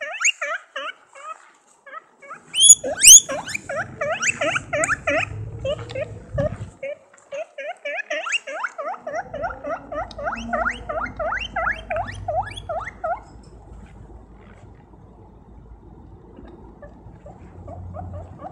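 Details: A guinea pig running around squeaks loudly in rapid, high-pitched bursts, the calls rising and repeating.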